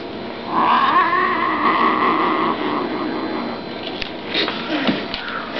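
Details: Brown rosetted female Bengal cat growling while playing: a drawn-out, wavering, harmonic growl lasting about two seconds, followed by soft scuffling and knocking noises.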